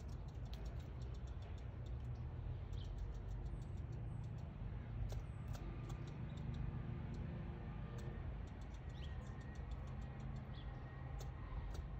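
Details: Steady low rumble and handling noise with scattered faint ticks, and no clear animal call.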